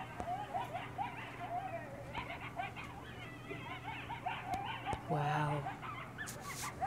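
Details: Coyote pack at night on Devils Night, a chorus of overlapping wavering howls and quick yips layered together, with hum in the background and a brief louder burst near the end.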